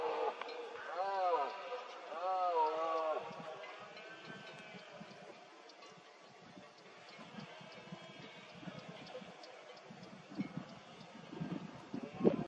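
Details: Red deer stag in foggy Cantabria during the 2022 berrea rut, giving two short arched roars in quick succession, followed by a long stretch of quiet outdoor background with faint rustling.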